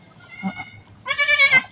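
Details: Domestic goat raised by its keepers, recorded just after it gave birth to a female kid; one loud, strained, nasal bleat rich in stacked harmonics lasting about half a second, following a brief faint murmur.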